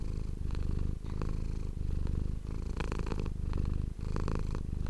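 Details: Pet cat purring right at the microphone, a loud low vibrating drone pulsing in even breath cycles with short gaps about every second and a half, accompanied by soft crackling contact sounds.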